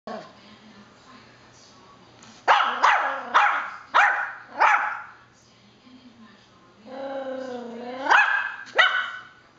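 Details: A Yorkshire Terrier barks for no apparent reason: a run of five sharp, quick barks, a pause, then a long rising whine-like howl followed by two more barks, in a quiet room.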